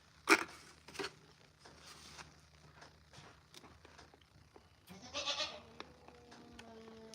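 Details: Female goat calling on a ranch, seemingly upset at another goat: short harsh bleats near the start and a longer wavering bleat around five seconds, with faint human talk and other farm noise.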